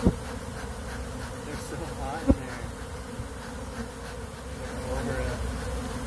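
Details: Bees pour out of a box where they were trapped and overheated, with honeycomb melted inside; a steady low droning hum fills the clip, with a couple of sharp knocks.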